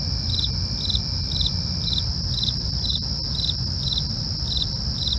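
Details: Crickets at night: a steady, piercing high trill runs throughout, overlaid by short pulsed chirps repeating roughly every half second, above a constant low rumble.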